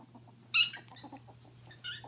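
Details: Two female ferrets at play: the deaf one gives a sharp, shrill screech between the hearing one's soft, clucking chuckles ("dooking", meaning happy or excited), normal play especially when establishing dominance.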